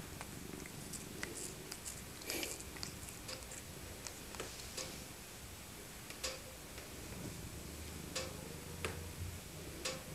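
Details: Tabby cat Maca, an elderly rescued female, being cuddled in winter; a low purr runs underneath frequent sharp ticking clicks and rustling handling noises.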